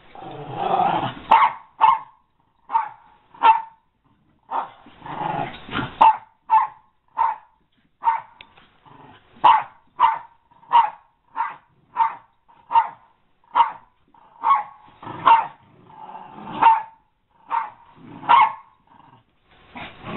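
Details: Repeated sharp barking from an American Eskimo Dog, steady single barks roughly every half to one second, with a few rougher, noisier bursts early on.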